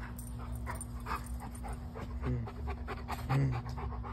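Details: Tired pet dog Bo, about to lie down, panting in rapid rhythmic breathy puffs that come several per second, with faint voiced gasps and a steady low hum underneath.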